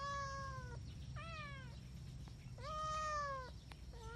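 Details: Indoor kittens giving clear, sustained meows about half a second to a second long, flat then dipping, three or four in quick succession over a low background hum.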